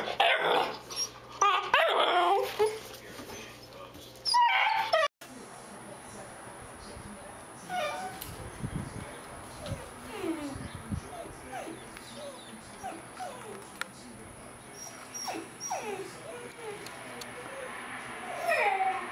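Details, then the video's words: Great Dane dog wanting attention, giving soft, short whimpers and whines in scattered bursts, partly masked by handling noise and a steady high electronic tone. "Great Dane Wants Attention Compilation"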